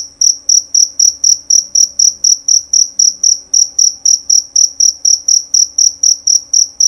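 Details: Loud, clear chirping of a jerabang cricket: a very regular series of shrill, high pulses, nearly four each second, with no other sounds beyond a faint hum.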